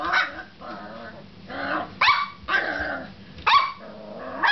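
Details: Molly, a pet pup, worked up while playing with a door stop: rough, growly sounds broken by loud, sharp barks roughly every half to one second toward the end, over a faint steady low hum.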